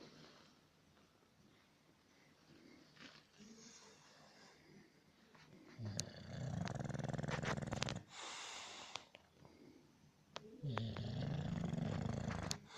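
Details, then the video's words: English bulldog snoring: quiet breathing at first, then two long rough, rattling snores, one from about six to eight seconds and another from about ten and a half seconds to the end, with a lighter breath between. "Как храпит английский бульдог"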